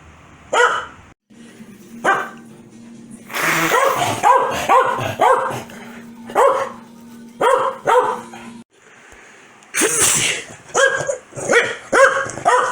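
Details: Corgi Foxy barks angrily after her owner sneezes: scattered loud barks and yips in uneven clusters, with a steady low hum underneath and a person talking to the dog.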